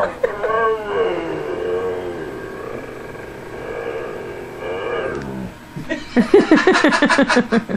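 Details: Husky Tundra vocalizing with its owner: an opening wavering howl, a brief mid-clip whine, then a rapid run of pulsed, rhythmic woo sounds near the end, with human voices.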